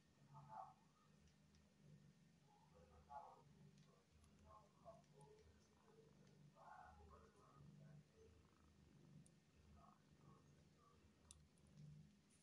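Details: Rescued homeless kitten giving soft, short mid-pitched mews in scattered bursts every few seconds, over a steady low rumble, likely purring, in a quiet indoor setting.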